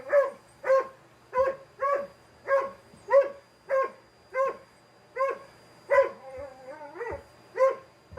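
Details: A 4-year-old male Dalmatian barks sharply and repeatedly, about every half second, at a vacuum cleaner with its steady high whine while a black Labrador joins in.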